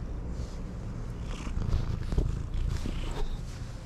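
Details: Stray cat at a bicycle parking area purring while being stroked and licking the hand back: a low, continuous rumbling purr with soft pulses, swelling slightly in the middle, and light rustling and handling noises above.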